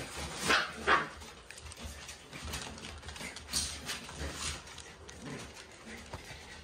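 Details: Newborn standard Shiba Inu puppies meet an unfamiliar puppy while adult Ritsu-chan relaxes nearby. Two sharp, bright yips come early, then softer scattered squeaks and yelps among the rustling of the puppies moving about.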